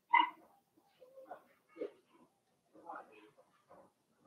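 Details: Blenheim Cavalier King Charles Spaniel puppies from a litter of six, indoors in a puppy pen, making short whimpering and yelping sounds in irregular bursts, one louder yelp at the start followed by softer whines.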